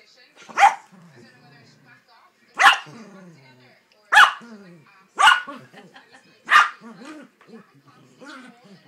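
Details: Yorkshire Terrier guarding Christmas presents, giving five sharp high barks spaced about one to two seconds apart, each followed by a short whining growl; faint human voices in between.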